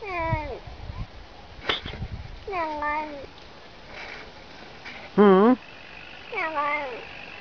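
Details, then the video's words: Domestic cat said to utter "ne znayu" (I don't know). Four separate wavering meows sound at intervals, one of them louder and quavering, with faint background noise between the calls. "Кот говорит "не знаю""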